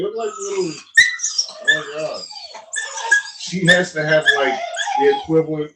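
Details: Italian Mastiff (Cane Corso) at a breeder near Nashville, Tennessee, giving continuous harmonic whining with repeated yelping cries, several overlapping voices rising and dropping in pitch for nearly six seconds indoors.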